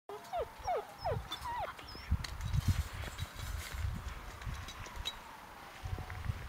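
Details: Bloodhound mix puppies with their mother at a foster home give short, high, squeaky whimpers that rise and fall over low rumbling background noise.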